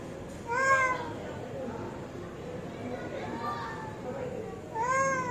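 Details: A hungry cat gives repeated meows. A strong, tonal meow opens, a softer one follows midway, and a loud rising-falling meow comes at the end, all against constant low background noise.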